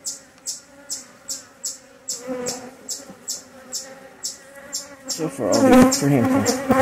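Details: Honey bees during an inspection of a relocated hive: a low steady hum with overtones, under a sharp regular ticking about twice a second, swelling into a loud, dense buzz near the end.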